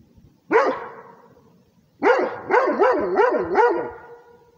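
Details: Rhodesian Ridgeback guarding territory with barks: one single bark, a pause, then a rapid run of four or five wavering, yodel-like barks rising and falling in pitch.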